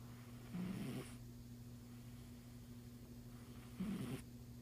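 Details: Domestic cat asleep and snoring, two rough breathy snores roughly three seconds apart against a constant low mains hum.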